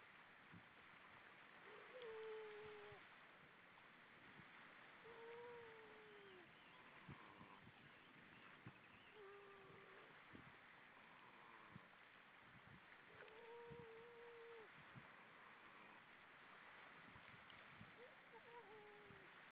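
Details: A seal gives short tonal moans, bending downward, repeated every few seconds against steady underwater hiss; recorded 4 May 2013 around 06:17, seal playing.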